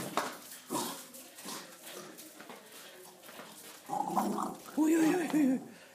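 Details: Sančo, a pet dog, playing with a ball, gives a tonal, wavering whine-like vocalization with a low growly edge in its last two seconds, after soft scuffling and thumps, while a person repeatedly asks in Russian for the ball.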